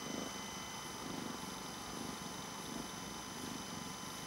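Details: Raven, a male pet cat, purring close by: a soft, low, rumbling purr that swells and fades in slow regular waves about every second, over a steady faint electrical hum.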